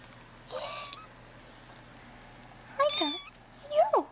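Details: Hungry kittens leaving their tent in an indoor nursery at feeding time give three bright meows, the last a quick rising-falling pair, over a quiet room.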